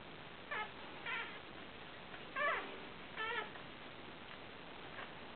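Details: Newborn Fell terrier puppies, a broken-coated Patterdale terrier litter of four males and one female born 29 July 2012, giving about five faint, thin squeaks spaced roughly a second apart in a quiet room.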